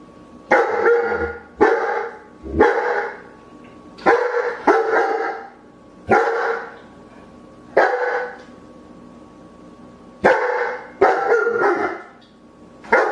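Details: Repeated loud dog barks in an uneven rhythm, singles and quick pairs, harsh and booming with echo, about a dozen across thirteen seconds.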